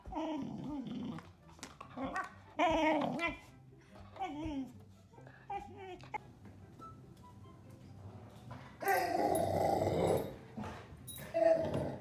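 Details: Golden Retriever at home, excited to greet its owner, making odd vocal sounds: a run of falling, moaning whines and grumbly growl-like noises in the first seconds, then a burst of rustling and scuffling, with a woman speaking briefly.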